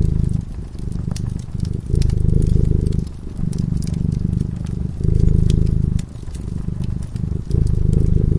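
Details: Sleeping cat beside a crackling fireplace purrs continuously, a low buzzing rumble rising and falling in breathing cycles of about one to one and a half seconds, overlaid with frequent small pops from the flames.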